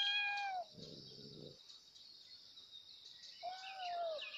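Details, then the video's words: Kittens calling loudly for their mother, with two clear arched meows about three seconds apart, a short rough noisy burst between them, and a constant high-pitched hiss behind. "kittens Meowing loudly For Mom/Kittens Meowing/Cat Meowing/Billi ki Aavaj"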